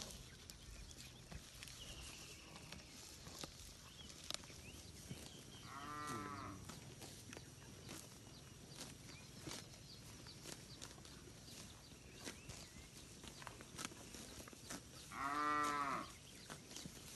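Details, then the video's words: Free-roaming village cattle in a large herd grazing in a green rice paddy: two separate deep, harmonic moos about nine seconds apart, the second louder, over a steady rustling, clicking field background. "suara sapi moo"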